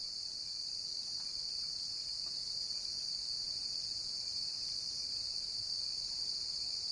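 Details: Cricket sound as a continuous, unbroken high shrill trill held at an even level throughout, with no gaps between notes and only faint background hiss.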